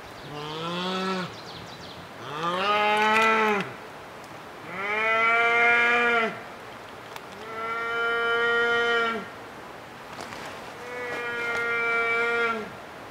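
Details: A bear shot while hunting, giving its loud death moan. Five long, drawn-out, deep moans rise and then sag. Each lasts one to two seconds and comes roughly every two and a half seconds.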